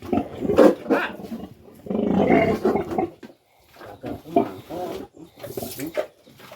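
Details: Sow recently given birth, receiving post-farrowing care. A harsh roaring call comes first, then a long rasping burst, then a string of shorter gruff grunts repeated at an uneven pace, fading toward the end.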